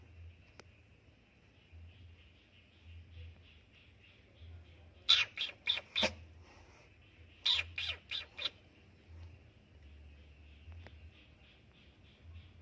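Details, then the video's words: A kitten, frightened as someone enters its hideaway, lets out two clusters of harsh hissing spits, five or six breathy bursts each, separated by a pause, while a steady high hum runs throughout. "anak kucing mendesis ketakutan saat aku memasuki tempat persembunyianya"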